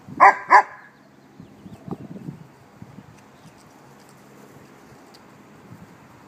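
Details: Fostered puppy, 2013: two sharp, high barks in quick succession at the start, then only faint scuffling and low murmurs in a quiet room.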